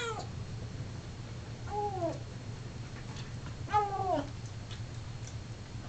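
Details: Male Siamese cat vocalizing while eating, indoors: three drawn-out descending meows with rich harmonics, roughly two seconds apart, over a steady low hum.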